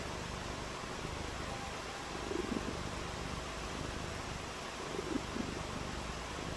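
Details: Purring cat during a rainy day of play, giving a low, even rumble with a grainy pulsed quality; steady background hiss throughout, with slightly louder moments midway.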